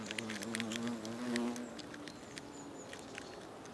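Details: European hornets (Vespa crabro) at their nest in South Moravia, Czechia, in August, exchanging food mouth to mouth; a low droning wing hum wavers and slides in pitch, with scattered clicks and taps over it.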